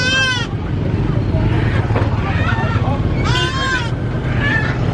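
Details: Baby goat screaming on a farm: two loud, wavering, strongly harmonic bleats about three seconds apart, with faint human talking between them and a steady low engine-like rumble throughout.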